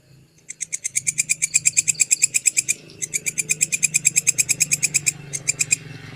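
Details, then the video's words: Grasshopper call used as training audio for songbirds, with rapid, high, rasping pulses in two long bursts broken by a brief pause, then a short final burst, over a faint low background hum. "suara belalang kekek durasi panjang"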